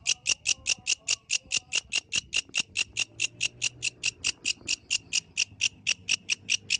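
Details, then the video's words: Yellow grasshopper singing at night in the wild: a steady train of short, bright, rasping pulses, about five each second, with a faint low rumble underneath. "The Melodious Sound of the Yellow Grasshopper"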